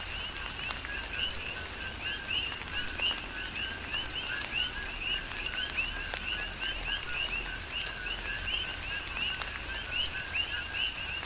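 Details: Many coqui frogs sing through a tropical downpour on Hawaii's Big Island, a dense repeating run of whistled, upward-sliding two-note chirps layered over continuous rain hiss and occasional loud drips.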